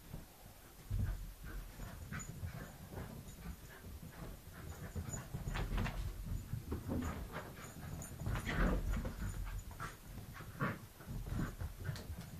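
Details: Wire Fox Terrier Snowy playing tag with puppy Winnie: rapid rough panting and huffing bursts in an irregular rhythm, mixed with scuffling paws and low thumps of play.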